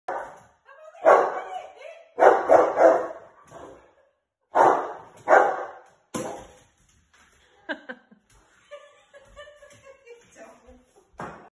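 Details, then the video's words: A Dogue de Bordeaux barks at a cork in a bottle, giving deep, loud barks in uneven bursts with quieter grumbles between. "Marshall Dogue De Bordeaux, barking at cork in bottle, daft big dog"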